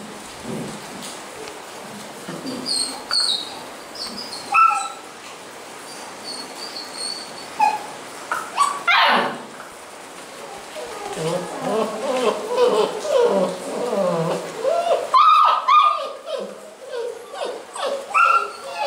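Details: Basset Hound puppies at a kennel in Londrina, Paraná, Brazil, giving scattered high whimpers and short yips at irregular intervals, with a louder harsh bark burst near the middle and a busier stretch of overlapping cries later.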